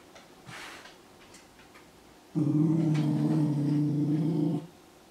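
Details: Indoor Japanese Spitz, startled by its own shed fur and threatening it: a steady, low, rumbling growl lasting about two seconds, preceded by faint rustling in a small room.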